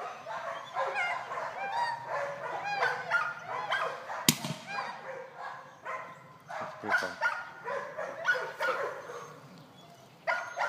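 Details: Young golden retriever Cannyn, eight months old, working short single marks: a busy run of yips, barks and whimpering whines, densest early, with a sharp click near four seconds and quieter gaps later.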